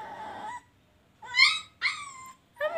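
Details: Puppy talking like a cat at home: a series of three or four short, high, mewing whines with rich harmonics, each under a second, separated by brief pauses, over faint low room noise.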